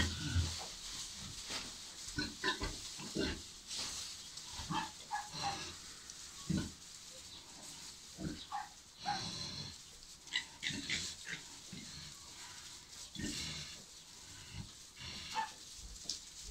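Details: Landrace × Pietrain pigs, a sow with 11 piglets: many short broadband grunts and squeals in irregular bursts throughout, overlapping one another, over a steady noisy background.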